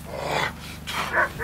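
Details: Airedale Terrier during its first protection training, giving three short, sharp barks spaced about half a second apart against a steady background hum.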